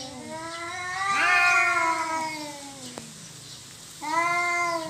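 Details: Cats fighting over territory: one long, swelling yowl that rises then sinks, a brief quiet gap, then a sudden new wail starting at the end.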